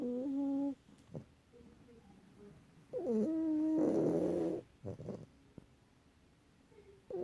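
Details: Domestic cat snoring indoors: droning, nasal tones with a steady low pitch and overtones, in bursts of about a second with quiet breathing gaps, several seconds apart, and a short soft sniff between them.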